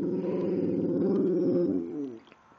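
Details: Precious, a pet female dog, in a talkative mood indoors, gives a sustained low, wavering growl-like vocal with dense harmonics for about two seconds, ending abruptly; a soft click at the close.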